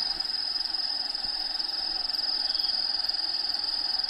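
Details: Crickets in an indoor bearded dragon vivarium shared with Diego the dragon, habitat sounds in the background: continuous high-pitched chirping in fast, even pulses, a little over two per second, with faint steady hiss.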